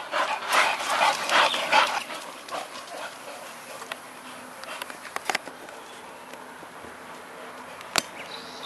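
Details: Olde English Bulldogge breathing in rapid, rasping pants for about two seconds. It then falls to a quiet background with a few scattered clicks and a sharp knock near the end.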